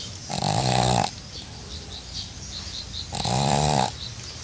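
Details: Sleeping pug snoring in a bucket of water: two loud rasping snores, each about three-quarters of a second long and roughly two and a half seconds apart, with quiet breathing between them.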